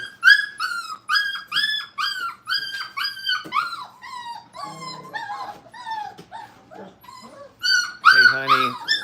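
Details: Brittany puppies, a breed once called Brittany Spaniels, in crate training at a kennel give high whining whimpers: quick strings of arching, harmonic-rich cries, briefly broken midway by lower rough, growly sounds before loud whines return.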